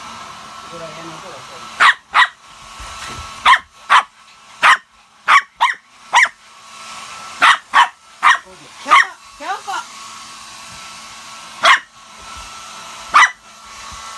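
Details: Pet Shih Tzu dog fighting a hair dryer indoors: about fifteen sharp, loud barks in irregular bursts, some doubled, over a steady high whine and low hum from the dryer, with faint human voice in the background.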